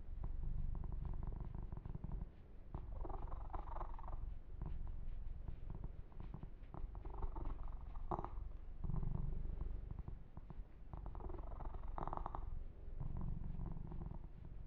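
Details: Deep, pulsing purr from Yumak the kitten during a massage session, rumbling without pause while brushes of hand-on-fur rustle come and go every few seconds.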